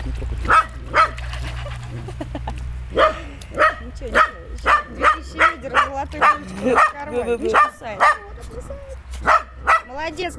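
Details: Water-loving dog barking in quick, regular bursts, with a short whining, whimpering stretch in the middle before the clipped barks return.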